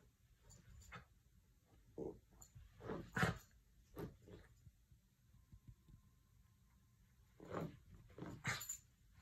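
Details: Miniature red poodle playing with socks: soft, breathy grunts and snuffling bursts come in short clusters, strongest around the third second and again near the end. Quiet gaps fall between them, and a faint steady tone sits in the background.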